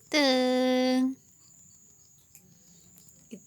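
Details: Mother cat named Iteung calling her kittens while trying to move them. One steady, level-pitched, strongly tonal meow lasting about one second, then quiet room noise with a faint steady high hiss and a brief soft sound at the end.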